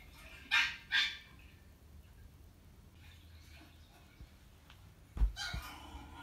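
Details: Chihuahua reacting to footage of itself when young: two sharp, loud barks close together near the start, a quiet stretch, then a further abrupt bark burst toward the end over low room hum.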